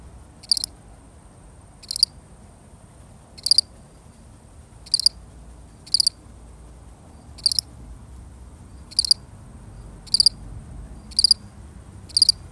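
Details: A lonely cricket in a genuine recording repeats short, shrill pulsed chirps roughly every one to one and a half seconds, evenly spaced, with only soft background hiss.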